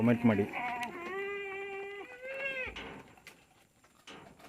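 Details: Tellicherry goat on a farm giving a long, steady, wavering bleat lasting nearly two seconds, rising slightly in pitch near the end, after a brief burst of human voices; faint background hum throughout.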